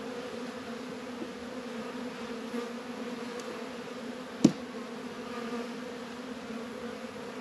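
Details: Honey bees humming around Warre and Langstroth hives during a warm February spell in northern Kentucky: a constant deep drone, with a sharp click at four and a half seconds and a couple of softer taps.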